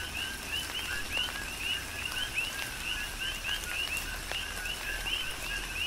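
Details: Rhythmic chorus of coqui frogs in Hawaiian tropical rain on the Big Island, bright upswept chirps repeating densely every fraction of a second, a lower call band beneath, and constant patter of raindrops.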